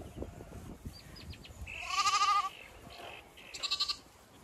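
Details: Late-afternoon Zwartbles flock on a County Kilkenny regenerative farm, Ireland; one clear, sustained, tremulous bleat mid-way, a shorter higher bleat near the end, with soft background rustle and faint bird calls.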